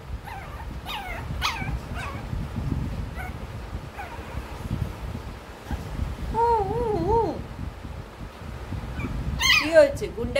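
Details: Male Shih Tzu puppy whimpering: a wavering, quavering whine rising and falling for about a second, then a burst of high yelps near the end, with a person talking softly throughout.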